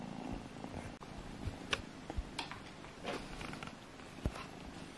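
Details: Play-fighting kittens Alfonso and Amur give a low purr beneath scattered clicks, taps and scuffling sounds of their wrestling.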